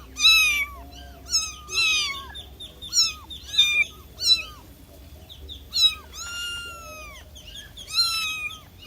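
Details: Kitten's distress calls for its mother: rapid high meows, one longer drawn-out cry mid-way that slowly falls in pitch, faint lower sounds beneath.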